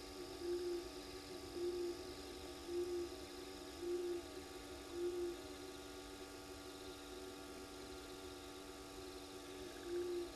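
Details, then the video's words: Frogs in the pan at Gowrie dam waterhole, Djuma Game Reserve, Sabi Sand Wildtuin, South Africa, recorded by a live camera at 22:36 at night: a low, short hooting note repeated about once a second over steady hum. "Frogs in the pan"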